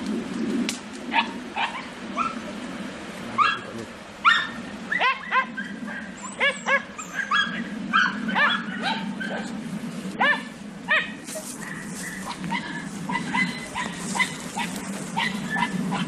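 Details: Several Podenco Andaluz hunting dogs give sharp, high yipping barks in quick irregular bursts over a steady low hum while chasing a rabbit.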